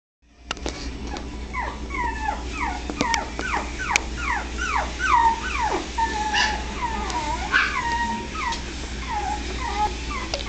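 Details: Miniature Pinscher puppies in Los Angeles, California, whimpering together: many overlapping high, thin whines, each sliding downward in pitch, repeated several times a second with some longer drawn-out cries, over a steady low hum.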